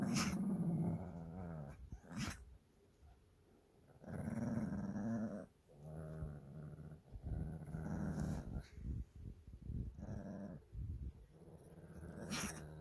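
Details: Two Shih Tzu brothers fighting over a stuffed toy indoors, recorded 13 March 2024: long, rumbling, low growls in repeated bursts of one to two seconds, broken by scuffling and short gaps.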